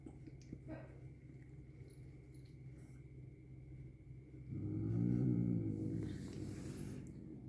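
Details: Angry cat eating medicine gel; after a quiet stretch with faint clicks, a low, buzzy, harmonic growling moan swells up for about two seconds, then fades away.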